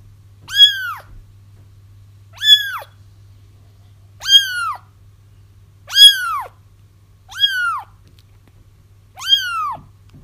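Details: Kittens crying, used to lure their feral mother into a trap: high, arched meows with rich harmonics, each about half a second long, repeated roughly every two seconds in six steady calls over a low steady hum.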